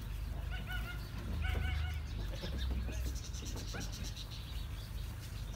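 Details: Baby goats playing and jumping outside a goat farm in Karachi, Pakistan, around Bakra Eid; short wavering bleats in quick succession during the first two seconds, over a steady low rumble of traffic and nearby voices.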